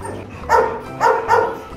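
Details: Rottweiler bark from Gervi kennel, where father Bruno, a Latvian young champion, meets his 7-month-old son Igor; three short barks spaced about half a second apart, with low background hum.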